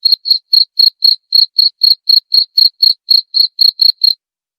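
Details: Cricket chirping used against rats: bright high-pitched chirps repeated about four times a second for four seconds, ending in silence, with no other sounds.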